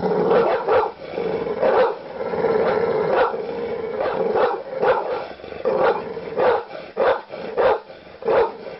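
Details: An angry dog barks harshly and repeatedly, sharp gruff barks roughly every half second to second.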